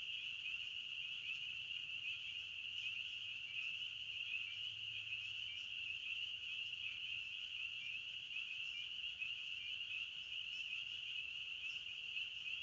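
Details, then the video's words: A steady wall of cricket chirping in the forest, high and ringing, with occasional brighter pulses rising above the constant trill and a faint low rumble in the background. "Sounds of Nature Series - Crickets of the Forest"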